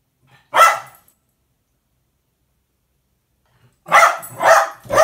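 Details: Indoor Jack Russell Terrier tattle-tale alerting about the cat, one loud bark followed after a pause by a quick run of three barks.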